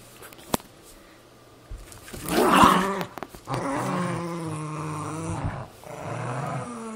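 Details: A Cairn Terrier and a Jack Russell Terrier, two pet dogs, tussling over an old golf glove: quiet start with a click, then a loud rough snarl and sustained low, droning growls that rise and fall.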